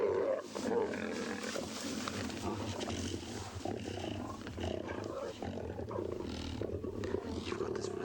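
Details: Lions at a feeding sighting in Tswalu Kalahari Game Reserve, South Africa, on a sunrise game drive, 25 May 2020: a continuous low rumbling growl, described as horrible and spine-chilling, runs throughout, mixed with cub contact calls and a man speaking.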